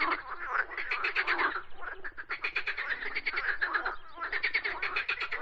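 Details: Chorus of croaking frogs, fast trains of clicking, rattly pulses in overlapping waves, with short dips between bursts roughly every one to two seconds.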